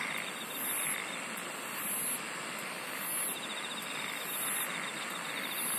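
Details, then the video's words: Insects singing in shrill, high, buzzy bursts spaced about 1.2 seconds apart, layered over a faint, steady trill and a broad, constant hiss. "SINGING OF INSECTS"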